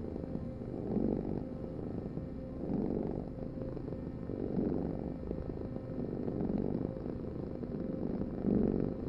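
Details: Purring cat, deep rolling rumble in slow waves, five breath cycles each close to two seconds apart, with the last swell slightly louder; no other noise.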